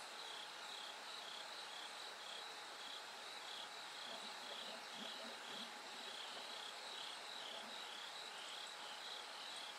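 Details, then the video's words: Bell crickets singing as night turns gradually brighter, a high, even, pulsing ring repeated about twice a second amid a dense insect background, with some soft low chirps in the middle. "bell cricket Cry of falling insects"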